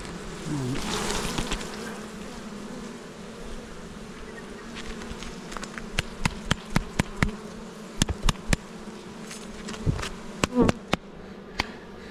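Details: A colony of honey bees near Jirisan, Korea, droning while hive frames are handled in poor weather. A clear steady buzzing hum holds under a run of sharp clicks and taps in the second half.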